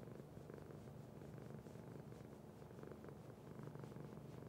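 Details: Purring from Sparkie the cat, a close, even low rumble pulsing rapidly in a regular rhythm without a break.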